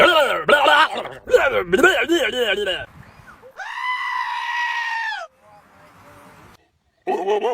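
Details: Goat giving rapid, wobbling, stuttering cries, then a long, drawn-out steady bleat of about two seconds, a quiet pause, and a short, shaky call at the end.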